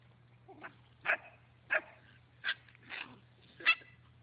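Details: German Shepherd puppy in a compilation of puppies playing and swimming, giving six short, sharp yappy barks spaced roughly half a second to a second apart, with a steady low hum underneath.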